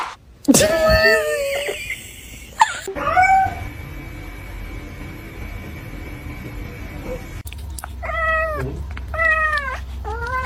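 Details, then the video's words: Kitten meowing indoors: an early drawn-out meow with a few short follow-ups, then a quiet stretch with a steady high whine, then three clear rising-and-falling meows about a second apart near the end. "kitten meowing call"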